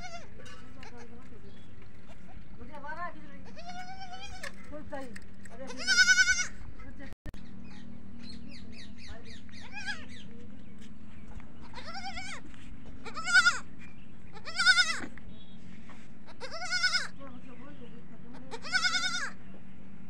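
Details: Young goats at a goat farm bleating for their mother, answered as she calls: loud, shaky, harmonic-rich bleats in spaced bursts every one to two seconds, some fainter wavering calls between, a low steady drone underneath.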